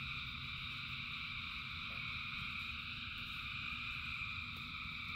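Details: Massed frogs singing in rainfall, their calls merging into steady high ringing bands over a constant low patter of rain.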